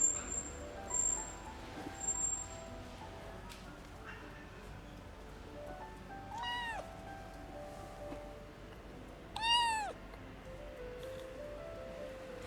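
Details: An orphaned kitten rescued from a car engine in cold weather calls twice with thin, high, arched meows that rise and fall, hungry and frightened, asking for food, over gentle steady background music with faint high tones early on.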